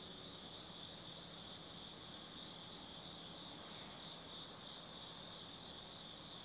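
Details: Autumn insects calling at night in the forest of Tsukimi no Mori, Kaizu, Gifu, Japan, high above the Nobi Plain: a shrill, high chirping pulsing in bursts about twice a second, with a steady ringing trill beneath.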